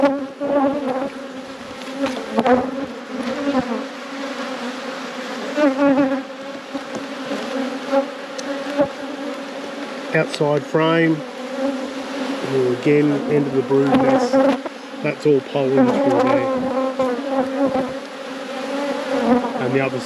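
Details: Continuous hum of honey bees in a busy apiary during a hive inspection. A dense, even drone holds throughout, with human speech breaking in around the middle and again through the second half.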